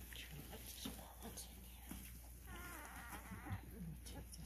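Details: Cane Corso puppy, 12 days old and called grumpy, lets out a wavering, wobbling whine lasting about a second midway, amid a woman's soft baby talk, light rustling and steady low hum.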